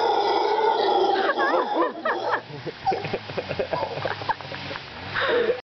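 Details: Howler monkeys in mango trees at Montezuma, Costa Rica, answering a person: a loud, continuous rough roar with layered tones, then broken into shorter wavering calls mixed with a human voice.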